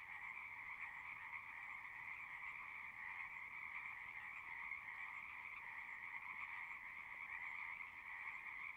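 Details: Singing frogs, a natural recording: a dense, unbroken chorus of many overlapping trills forming two steady high bands, with the level holding even throughout and no other sounds standing out.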